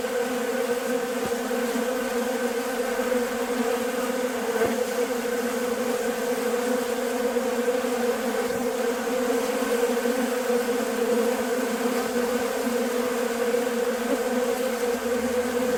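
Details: Many western honey bees buzz in a steady, droning hum while feeding at a bucket of sugar water on a nice day.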